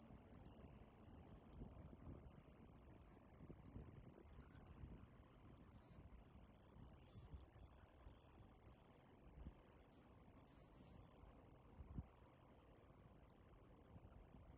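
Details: Iwasaki grass cicada (Mogannia minuta), a tiny insect about 1.5 cm long, singing while perched on a finger in Okinawa in early summer. Its song is a steady, very high, hissing buzz that runs without a break, with a few faint low knocks.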